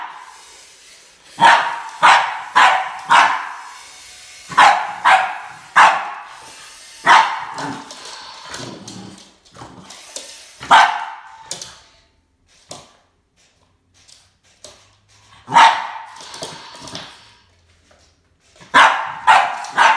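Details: Boston Terrier confronting a snake, barking in sharp bursts, often in quick runs of two or three, with pauses and a quieter stretch midway before barking resumes strongly.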